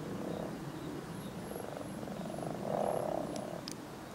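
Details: European common frogs (Rana temporaria) in springtime, among spawn, give soft, low, purring croaks, rattling in quick pulses and repeated in overlapping bouts.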